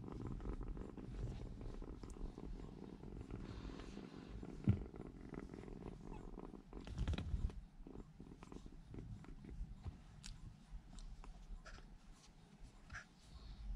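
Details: Three rescued baby kittens huddled together in a room corner to keep warm, too young to regulate body temperature. Soft, continuous low rumbling purr runs throughout, with a few brief bumps and rustles of movement.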